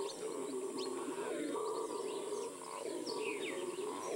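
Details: Distant-sounding roar of a Venezuelan red howler monkey, Amazon, a steady rough drone beneath frequent high bird chirps and whistles, with a constant high hiss.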